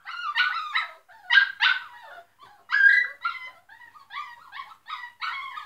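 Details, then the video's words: Loud barking from a group of dogs, with shrill, ringing yelps delivered in irregular clusters, some doubled, others drawn out into whiny cries, with brief silences between. "They are very barking loud"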